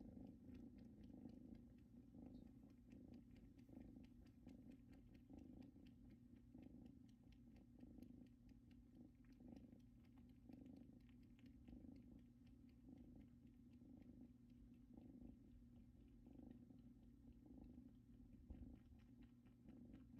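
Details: Kittens resting on a blanket brought from their mother's home, which appears to remind them of her, purring continuously: a faint low drone with evenly pulsed rhythm running unbroken, with a quiet indoor background.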